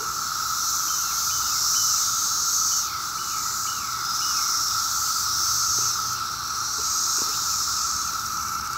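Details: 17-year cicadas calling everywhere on a summer day in Maryland, in huge numbers. A dense, steady buzzing drone with a high shimmering hiss pulses in slow surges every few seconds, and short rasping notes sound faintly within it.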